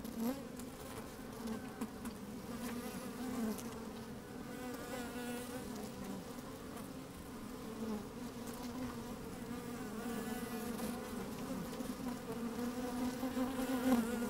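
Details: Busy honey bees inside an open hive on a fine, sunny day with a little wind; a rich, continuous droning hum with stacked harmonics, gently rising in loudness over fourteen seconds, scattered soft buzzes and crackling movement.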